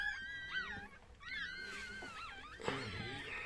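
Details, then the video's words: Chihuahua birth: short, high squeals that rise and fall in quick bends, coming in two bursts with a brief quiet gap, then a rustling thump. "chihuahua doğum anı"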